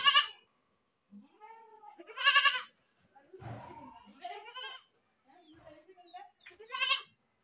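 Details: Goats screaming: loud, harsh, wavering bleats about every two seconds, alternating with softer quavering calls and a brief low rumbling noise in between.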